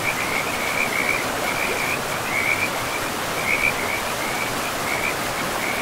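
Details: Forest river with frogs: a chorus of quick, high chirping trills recurs every second or so above a constant hiss of flowing water.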